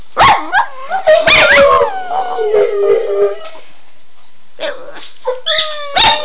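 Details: {'caption': "Two excited house dogs answering their owner's phrase with rising yips that slide into wavering howls, then a lull before fresh high yelps and a final sharp bark."}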